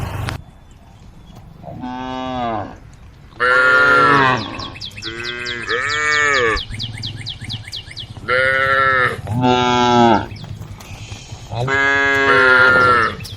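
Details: Roaming along a road beside the forest, cows call to the herd with about six long, rich moos, several loud and drawn out, spaced by short pauses. Faint high chirping runs between calls.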